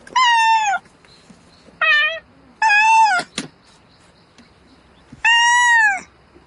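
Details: Domestic cat calling for a mate at night: four loud, drawn-out harmonic meows, each with a slight rise then fall, the first, third and last longest, separated by quiet gaps; a sharp knock between the third and fourth.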